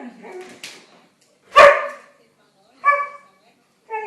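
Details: Siberian Husky: a faint, muffled sound at the start, then one loud, sharp bark, followed by two shorter, tonal, whiny calls.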